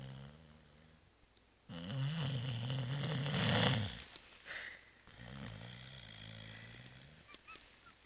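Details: Zoé the cat snores heavily after Christmas Eve réveillon and brunch: a loud, low, buzzing snore lasting over two seconds, then quieter rasping breaths trailing off in a small indoor room.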